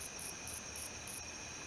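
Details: Wingless meadow katydid male (Odontoxiphidium apterum) stridulating: five very high, sizzling buzzes, each about a tenth of a second, spaced roughly a quarter second apart, over a low steady background hum.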